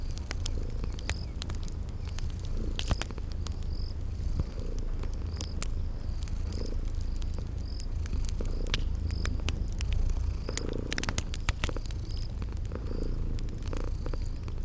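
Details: Sleeping kitties purring in a cozy ambience: a steady, deep continuous purr rumbles throughout, mixed with crackling fire snaps, and a soft repeated high chirping of insects or birds in the background.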